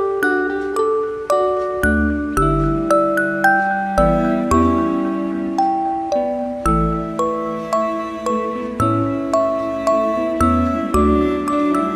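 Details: Gentle music-box melody of bright chiming mallet notes, repeated in a steady lullaby rhythm, with no animal sound audible.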